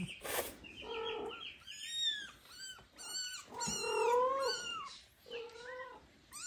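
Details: Meowing kittens beside their big father cat, a huge tomcat acting like a mommy; a rapid string of high, harmonic, rising-and-falling meows, several overlapping, with a sharp noise burst at the start.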